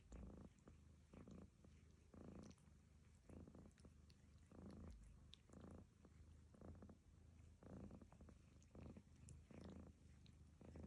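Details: Snoring of the cat Lucy during grooming by the cat Barfi: a rhythmic low rumble swelling into rasping breaths about once per second, repeated steadily for around eleven seconds.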